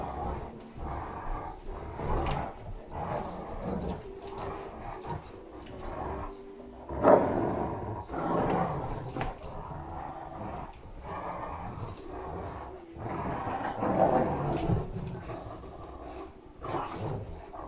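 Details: Great Danes playing tug of war with a rope toy, a Chihuahua trying to join in: low rumbling growls in uneven bursts, with thumps and scuffling of the play.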